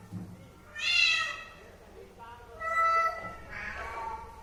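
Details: Pet cat meowing three times in quick succession: a loud bright cry, then a steadier tonal meow, then a falling one. Soft background noise sits underneath.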